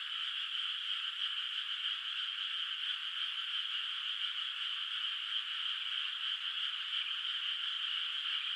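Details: Night chorus of frogs in a moonlit rice field in the countryside, water still without rice plants; many overlapping rapid trills merge into an unbroken, even, high-pitched drone with no gaps.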